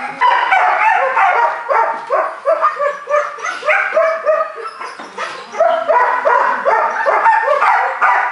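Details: Four-month-old Belgian Malinois puppy giving a steady stream of sharp, high-pitched barks and yips, several per second, with short whimpering notes mixed in.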